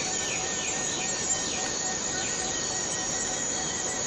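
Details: Borneo rainforest cicada sound, a continuous shrill metallic hum at a constant high pitch, even in loudness throughout, with a few faint sliding whistles from other creatures in the background.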